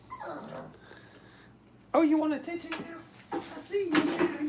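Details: Brittany puppies during crate training whimper in short bursts of high, wavering, nasal whines, two clusters rising and falling, with faint human voices and rustling in an indoor kennel.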